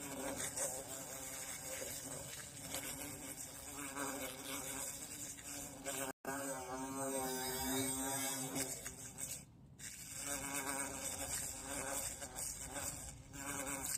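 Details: Bees caught in the bush while being hunted and watched, two types taken; a steady droning buzz with wavering harmonic bands, briefly cut out near six seconds, over constant hiss and faint handling noise.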